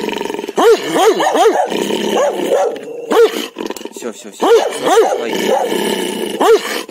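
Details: Dog barking repeatedly in short clusters of two to three arched barks, with irregular gaps, over a persistent noisy, hissing background.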